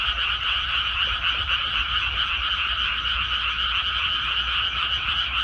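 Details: Frogs calling in rice paddies after planting: a dense, continuous chorus of rapid pulsing croaks layered in two bright bands, rising and falling slightly, over a steady low hum.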